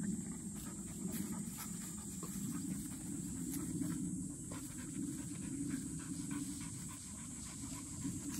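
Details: Field-line Labrador Retriever puppies, black and yellow females 197 days old, with a 12-year-old female, at midday rest: steady rapid breathy panting throughout over constant background hiss.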